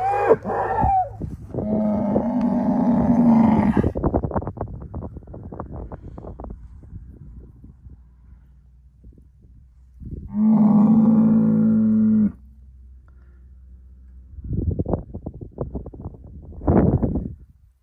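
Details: Angus bull, a herd sire sired by SAV Harvestor 0338, lets out a long moo amid rustling and shuffling, then a second shorter bellow after a pause, followed by soft lowing sounds.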